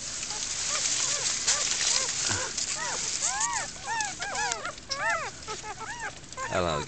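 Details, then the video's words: German Shepherd puppies born in the wild to Sally, a first-time mother, in a den hidden under a mattress frame and foliage; a chorus of high, arching squeaky whimpers overlaps from the middle onward, with a person speaking softly at the start. "German Shepherd has pups in the wild"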